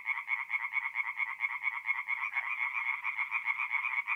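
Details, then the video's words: Tree frogs calling together after dark at a forest pond in North-East Italy in mid-April; rhythmic, grating pulse trains overlap unevenly, one caller briefly louder midway, otherwise a constant chorus. "relaxing forest pond by night with singing tree frogs"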